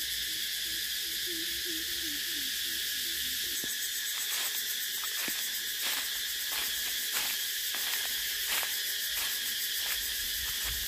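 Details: Cicadas droning in a dense, continuous high-pitched buzz that holds steady throughout, with scattered faint clicks and a short run of soft, low repeated notes during the first few seconds.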